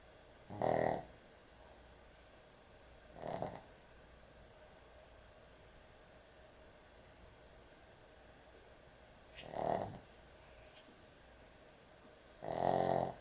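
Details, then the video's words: A pet dog snores loudly while asleep at bedtime inside a quiet room. Four harsh, rattling snores come at uneven intervals, a pair close together, then a long pause before two more. "코골이 강아지의 취침시간"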